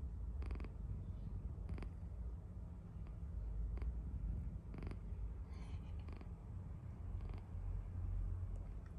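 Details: Cat asleep and snoring, a steady low rumbling drone with scattered short crackles and snuffly clicks every second or two.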